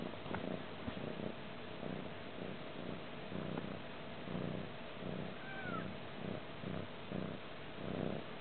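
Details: A stray cat purrs in a crash pad in Manilla on 20 February 2011, its rhythmic low rumble repeating steadily beneath heavy background hiss, with a brief faint whistle midway.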